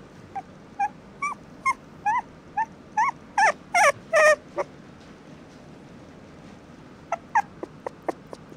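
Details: Friendly male Toy Poodle puppy giving short, high, whimpering yelps about twice a second. A louder cluster of strained whines comes midway, then a pause and a few more thin yips over a quiet background.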